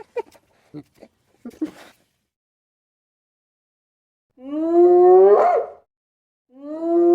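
A hyena gives drawn-out rising whoops, each swelling upward in pitch, after some brief human voices.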